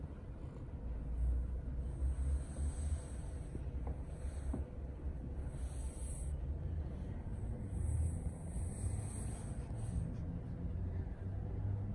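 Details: Steady low rumble with a high hiss, no animal voice audible.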